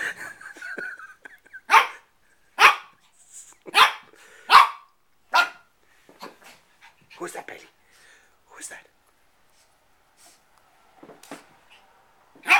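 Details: Bailey, a 4-month-old Shih Tzu puppy, indoors playing with his own reflection in a mirror: a run of sharp, high yappy barks about a second apart, then softer scattered yips, with a person's voice at the start.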